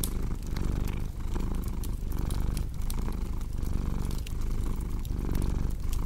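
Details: Domestic cat purring steadily, a low rumbling drone that swells and fades with each breath about every 0.8 seconds, layered over the snapping and popping of a crackling fireplace.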